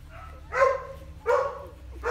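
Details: Four-day-old Golden Retriever puppies feeding, kept in the morning sun; three short tonal cries, each rising then falling, with a bright mid-pitched tone and clear harmonics, spaced about three-quarters of a second apart over a low background hum.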